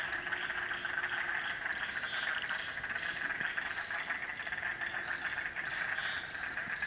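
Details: In Frog Hollow, a dense chorus of many frogs calls together in a steady pulsing trill that never pauses.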